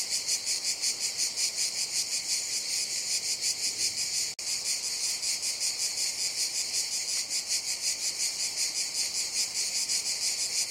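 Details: Summer jungle cicadas: a shrill, continuous buzz pulsing roughly three times a second, broken only by a split-second gap near the middle before the throbbing drone resumes unchanged.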